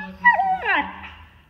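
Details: A female Siberian Husky named Tahkini asks to go outside, giving a short, tonal, howl-like whine that rises and then sweeps downward, wavering as it fades within about a second.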